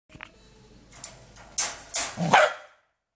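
A young Corgi gives three sharp, harsh barks in quick succession while guarding a resource.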